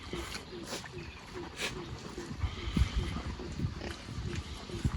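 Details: Farmed wild boars rooting through soil on a peaceful morning in Vietnam's Central Highlands; low, short grunts and snuffles repeat irregularly over a steady rustling, chewing background.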